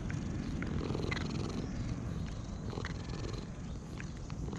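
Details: Stroked stray cat purring contentedly before switching to licking; low, even rumbling purr fills the whole stretch, with a few light clicks and rustles of fur and handling.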